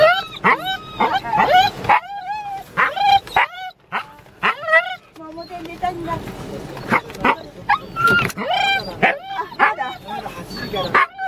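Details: Wheaten Terrier dog giving repeated high whining yelps and short barks, rising and falling squeals in quick bursts, with a person talking in Japanese throughout.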